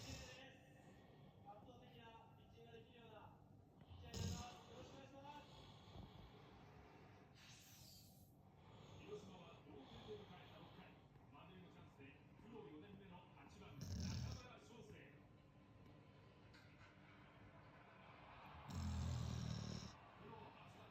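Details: Sleeping Great Dane snoring: low, rumbling snorts swell at about four, fourteen and nineteen seconds over a quiet indoor background with faint voices and room noise.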